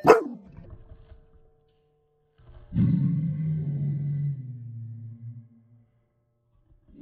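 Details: Dog barking at a UPS truck in the yard, played in slow motion: a brief sharp opening bark, then a long, deep, drawn-out rumbling bark like a dinosaur roar, fading out over a few seconds in otherwise quiet surroundings.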